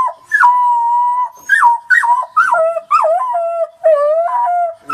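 Young wolf pups howl in overlapping, wavering tones that slide up and break into yips.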